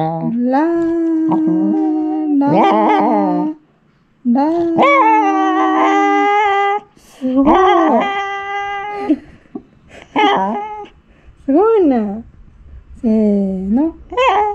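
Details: Indoor female Shiba Inu aged three years seven months practising vocalization, annoyed as her muzzle is touched: long sung howl notes, then shorter rising and falling yodel-like whines, with a person's voice mixed in.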